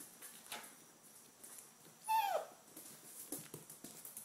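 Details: Five-week-old red rust Doberman puppies indoors, one giving a single short whining yelp that slides downward in pitch, set among faint scratching and shuffling noises in a small room.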